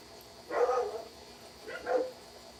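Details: German Shepherd dog indoors barking loudly after someone came up and knocked on the door; two deep, short barks about a second apart over a quiet room hum.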